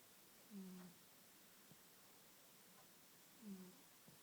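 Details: Sleeping house cat Barnaby having a little snore, two short low snoring breaths about three seconds apart in a quiet indoor room.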